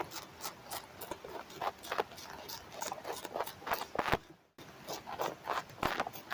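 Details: Tobacco hornworm larvae eating tobacco foliage, reared indoors in Germany during summer 2023, recorded through a headphone microphone touching the leaf. Bursts of crunching clicks come in clusters, broken by a brief silent gap.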